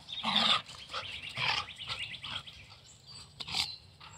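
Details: Carolina dog, also called American dingo, during free-style morning play; a run of short yelping and growly bursts with bright high overtones, loudest near the start, then scattered smaller yips and a sharp burst toward the end.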